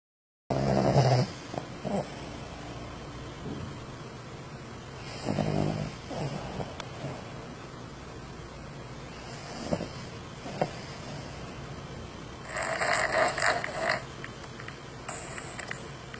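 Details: A dog snoring in breathy, rasping bursts that come every few seconds. Each burst is a broad, noisy rush, with fainter rustling between them.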